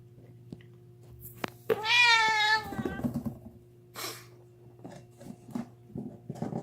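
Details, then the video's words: Deaf house cat screaming while gnawing on a bone: one loud wavering harmonic yowl lasting nearly a second, followed by chewing and crunching clicks and a breathy hiss, with a constant low hum in a small room. "Screaming cat gnawing on a bone makes funny noises"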